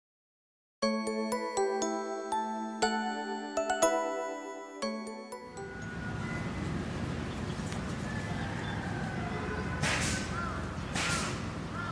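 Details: Bright tonal music plays for a few seconds, then gives way to steady broadband background noise with no animal calls. No animal voice stands out at any point.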